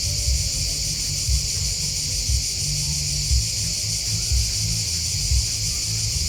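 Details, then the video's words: Chorus of crickets: an unbroken, high, shimmering trill that holds steady throughout, with a deep, even rumble underneath and faint soft thumps about once a second. "Crickets Chirping Sound"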